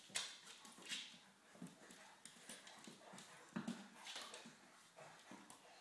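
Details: Play fight among three English Springer Spaniels, Gunnar, Kala and their puppy Diesel: scattered low growling grunts and snorts between loud scrabbling, bumping and clattering sounds of bodies and paws.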